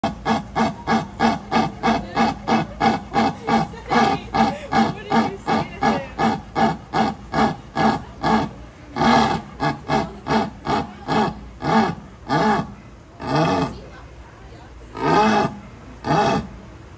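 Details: Leopard at the Fort Worth Zoo grunting in a long rhythmic series, steady rasping grunts about two per second that gradually slow and spread out toward the end, each with a low rough tone.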